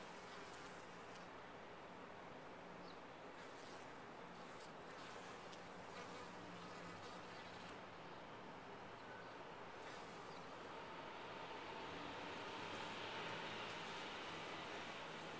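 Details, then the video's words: Steady massed humming of honey bees within a top-bar hive, a thick unbroken drone that swells slightly louder toward the end, with a few soft clicks and scrapes early on. "Bees in a topbar hive"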